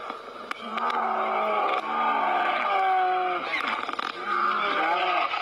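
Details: Two big brown bears fighting give harsh, drawn-out roaring growls that slide downward in pitch.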